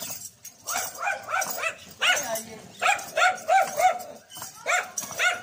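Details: Dog barking loudly at a dancing horse, sharp repeated barks in quick bursts, roughly three per second, with people talking in the background.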